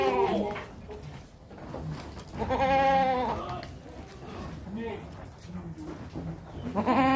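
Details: Male sacrificial goat for Qurban, 80 cm tall at the shoulder, giving a wavering, harmonic bleat in the middle of the recording. Background music and human speech run throughout.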